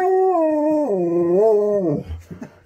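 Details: Siberian husky Sherpa, on the road to a holiday, holds a continuous mid-pitched howl that dips lower and then climbs back up, about two seconds long, trailing off into soft rustling.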